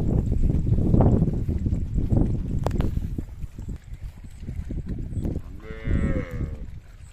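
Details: Cattle in a herd going down to the river, with heavy low rumbling and splashing-like noise, then a single rich, slightly falling moo late in the recording.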